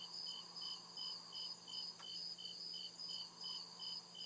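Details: In a forest at night, crickets chirp in a regular high-pitched pulsing rhythm, about two and a half chirps each second over a sustained shrill tone, with one brief click midway.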